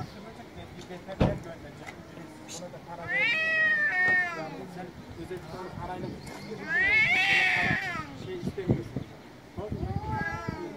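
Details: Loud meowing of male street cats in Istanbul, Turkey: three long, arched, harmonic yowls spaced several seconds apart, with sharp knocks and clatter from the street between them.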